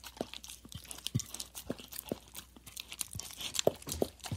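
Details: A dog laps at a plate with rapid moist slurps and crisp clicks, irregular bursts about every quarter to half second, close and dry-sounding in a small indoor space.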